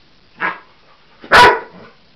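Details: Cocker Spaniel Husky mix dog reacting to a toy animal on first sight: a soft, short bark, then after a brief pause a louder, fuller bark.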